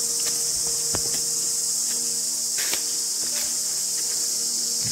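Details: Crickets chirp constantly in forest on a trek to Padar fort near Bhimashankar, Maharashtra, India. A dense, steady, high shrill chorus fills the whole clip, with faint clicks and footsteps underneath.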